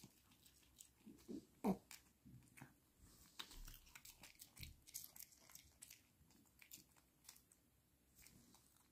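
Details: Dog crunching and chewing smelt treats indoors, quiet irregular bites and crackling crunches scattered through the clip, one sharper snap near the start.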